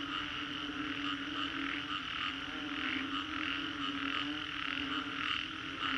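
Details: After a storm in the Green Corridor, Singapore, frogs fill a 3D soundscape with a thick continuous chorus; a low hum sits beneath pulsing higher trills that swell and fade roughly once per second.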